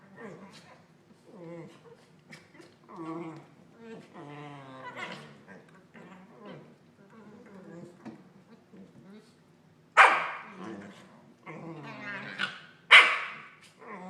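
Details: Two Corgis mouthing each other in play grumble and warble with weird "Wookiee-like" noises, and two sharp yips cut through near the end.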